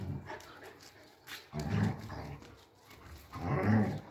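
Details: Three-month-old German Shepherd puppies, a male and a female, with two short, low, gruff bursts, like muffled barks or growls, about two seconds apart, over quiet background rustling.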